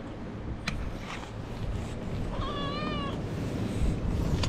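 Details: Feral cat at a feeding spot where stray cats gather, giving a single clear tonal meow with a wavering, slightly rising pitch, over steady low rumbling background noise and a few soft clicks.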